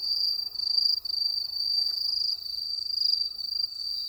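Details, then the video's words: Countryside night chorus of crickets: an unbroken, piercing high trill with fast flutter, briefly dipping twice near the start, over quiet low background noise. "시골의 밤! 귀뚜라미 소리"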